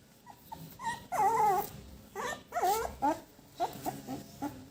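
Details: Five puppies playing, biting one another and nursing; high wavering whimpers and yelps in short bursts, a longer bent whine near the start, then quicker clipped yips, with a faint low background hum.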